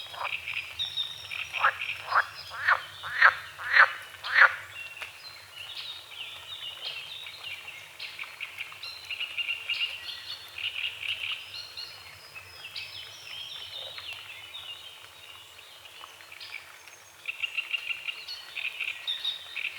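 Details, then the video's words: Frogs croaking at dawn on a small forest-edge lake with morning fog and water lilies: a burst of six sharp, rapid croaks in the first five seconds, then a softer, steady chorus and a renewed swell near the end. "The sounds of morning frogs croaking"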